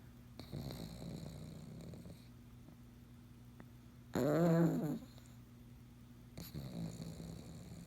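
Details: A sleeping pug snoring: breathy rasping inhales around two seconds long, then a loud nasal snort with wavering squeaky tones, followed by another rasping breath, over a steady low hum indoors.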